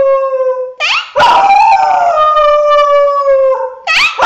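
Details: Howling dog from a funny compilation, a sustained rich tonal howl with a wavering rising onset that settles into a long level tone, bracketed by short sliding yelps.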